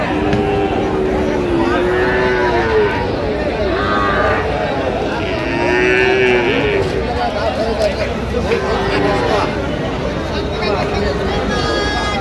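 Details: Bull calves of Friesian and cross breeds being bought and sold at Raniganj market, Dinajpur, 16 October 2025; drawn-out, wavering moos recur every few seconds amid constant market crowd noise and men's voices.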